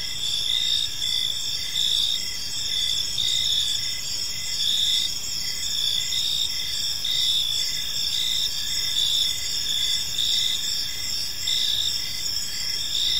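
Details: Gentle evening chirping of crickets in a serene park, a continuous piercing high trill layered with rhythmic pulses recurring about every second and a half, soft background rumble beneath, no voices or other creatures.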